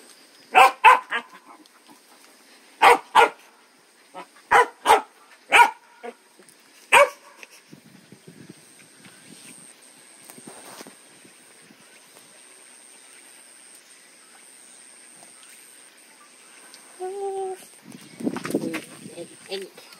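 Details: Puppy giving about eight sharp, bright barks in uneven bursts over the first seven seconds, then near quiet with a faint low rumbling and shuffling noise toward the end.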